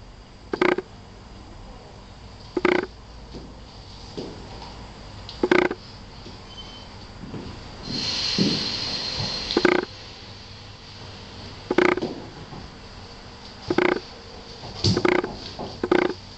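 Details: Tosa Inu mother Ajsinka and six-week-old pup Quinny Bella, red and black coats, at Diamant severu kennel; abrupt single barks spaced one to two seconds apart, with a rushing noise burst in the middle.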